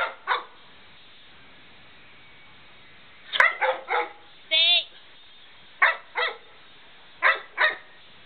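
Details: A dog gives sharp barks, mostly in close pairs, with one drawn-out wavering yelp in the middle, as a man urges it to come and get the door.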